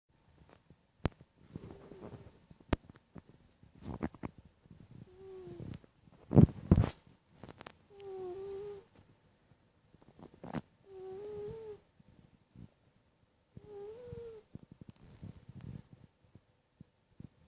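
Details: Cat snoring indoors: low rumbling breaths with short, slightly wavering tonal snorts repeated every couple of seconds, plus a few sharp clicks and bumps.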